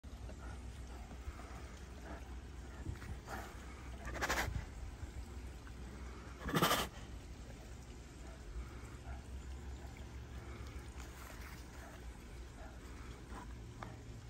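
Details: A female Bengal tiger at Kowiachobee Animal Preserve in Naples, Florida chuffs, giving soft, breathy snorts, a friendly big-cat vocalization used between mother and cubs, mates, or a favoured keeper.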